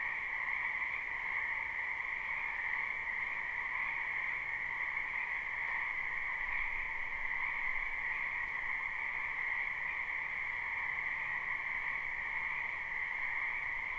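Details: Numerous frogs croaking in a wetland in spring, a live recording with no looping: a continuous, even wall of high trilling voices that never pauses, uniform in loudness throughout.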